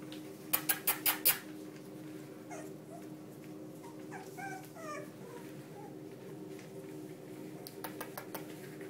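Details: One-month-old Sealyham Terrier puppies at play: a burst of sharp clicks, then a few faint, high, squeaky whimpers near mid-clip over a steady low hum.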